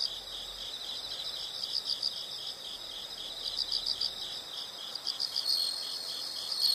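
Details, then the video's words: Insect chorus used as a soothing nature sound for studying or sleep; continuous high pulsing chirps with brief brighter runs of quick notes, steady and unbroken against faint background hiss. "the sound of insects"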